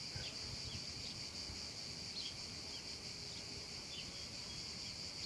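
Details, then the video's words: Meadow cicadas on a hot summer afternoon produce a sustained high shimmering buzz, punctuated by quick descending chirps spaced roughly a second apart, with soft background rumble. "un caldo pomeriggio d'estate e le cicale"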